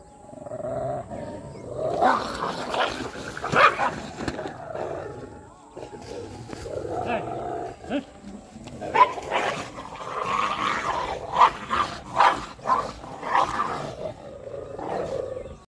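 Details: Aggressive street dogs fighting, with rough snarling and growling bursts rising and falling in waves, several louder peaks across the recording, and gaps between clashes.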